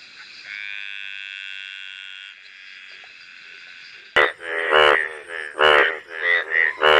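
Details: Frog giving its mating call: after about four seconds of a steady, high tonal hum, a run of harsh, nasal, crying bursts begins. They come in quick, uneven succession, loud and rich in overtones.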